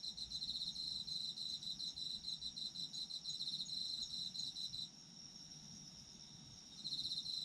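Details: Autumn insects singing for a sleep recording: fast pulsing high chirps run for about five seconds, drop away to a steady thin trill, then return near the end; soft low hum beneath.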